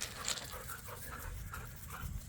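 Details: Pit bulls and a Malinois play tug of war with a squeaky toy while romping and wrestling in a yard. A quiet, low, steady rumbling growl runs throughout, with breathy panting and soft scuffling noises.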